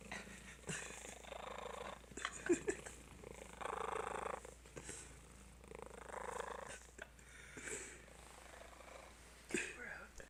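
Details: Rhythmic rasping purr from a fat cat said to purr like a mad beast, swelling and fading in waves about every two seconds, with brief soft clicks and a steady background hum indoors.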